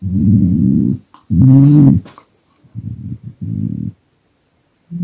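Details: Pet dog growling in displeasure each time its owner stops massaging it, with the camera held too close; low, rough rumbling growls in about four bursts separated by short silences, in a quiet small room.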